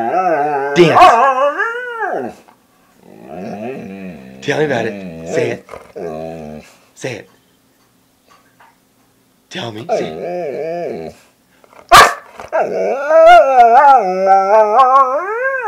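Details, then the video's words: Domestic dog asking for a snack, wanting food; drawn-out whines and moaning vocalisations rising and falling in pitch, in several bursts with pauses, plus a sharp yip and a person's speech. "Dog asking for food"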